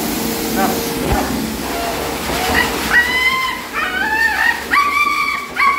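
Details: A playful female husky "singing" loudly while being bathed. After a noisy start, drawn-out wavering whine-howls begin, each sliding up and then down, in three rising bursts about a second apart.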